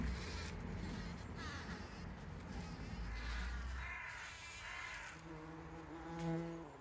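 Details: Bees collecting pollen, filmed by a trail camera on 17 June 2023: a low wingbeat buzz for the first few seconds, then a harsh, harmonic call near the end over the fading hum.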